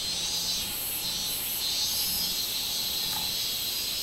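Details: Robust cicada (minminzemi) singing on 24 July 2016: a dense, steady high buzz with a wavering, pulsing upper band and a faint low hum beneath, running unbroken through the few seconds.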